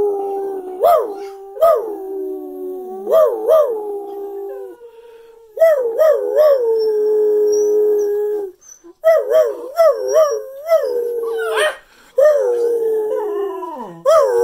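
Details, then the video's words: ['Cocker spaniels howling at home in New Jersey at Christmas 2019, joining in with their owner. Long wavering howls rise and dip with pulsing wobbles, several overlapping voices broken by short pauses and a few sharp knocks.'] "Christmas 2019 Cocker Spaniel Howling"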